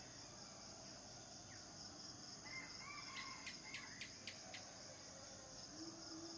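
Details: A constant high buzz from male cicadas calling for mates carries on throughout, with a quick run of about six sharp clicks in the middle. A bird gives a short whistled phrase.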